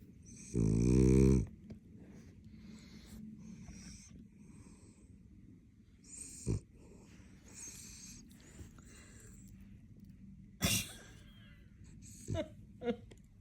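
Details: A sleeping Frenchie gives one loud, vibrating snore at the start, followed by quieter snuffles, small clicks and sharp rustling noises.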